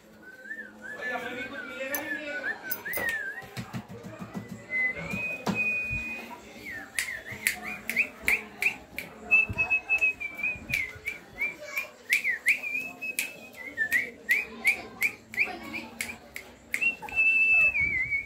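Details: Yorkshire Terrier. A Yorkshire Terrier puppy gives a long run of high, reedy whines that waver up and down and sometimes hold steady. Sharp clicks and tapping break in throughout, with quiet human speech underneath.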